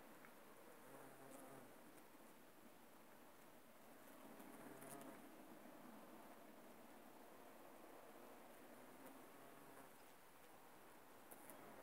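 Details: Bumblebees working aconite flowers: a low, faint droning hum that swells and fades several times as the insects move about, over a steady background hiss with a few soft clicks.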